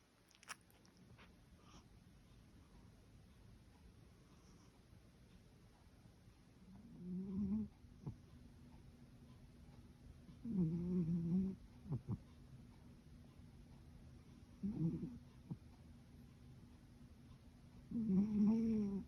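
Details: Sleeping calico cat snoring indoors: low, rough, droning snores with a slight tonal buzz, each about a second long, coming every three to four seconds in a quiet room.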